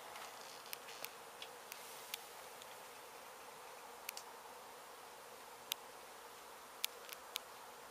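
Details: Honey bee hive in an abandoned home under demolition in Mission, Texas, struck by construction crews and then rescued: an unbroken buzzing hum with many sharp, irregular clicks and snaps scattered over it.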